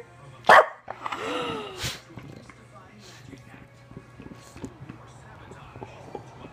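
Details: Female Bulldog, one of two sisters resting indoors in the morning with a breeze through the doors, pops up and gives a short, moaning, arched grumble after her sister is praised. A person talks and teases before and around it.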